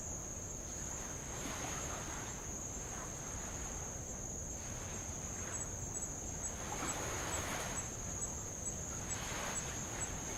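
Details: On a row around Avalau island, Kingdom of Tonga, insects sustain a constant thin high-pitched buzz while light waves break on old lava in repeated soft whooshes, louder toward the end.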